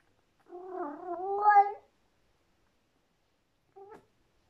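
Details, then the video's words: Female Persian cat, indoors and alone, howls in delight while eating a tasty treat: a long wavering, moaning yowl of about a second and a half that rises into a louder strained note, then a brief faint second cry after a pause. "Persian cat howls in delight while eating tasty treat"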